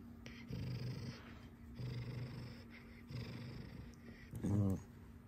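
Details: Domestic fox Alice playing up indoors: three low rumbling, purring growls in succession, then a louder, sharper harmonic burst near the end, with a faint steady hum behind.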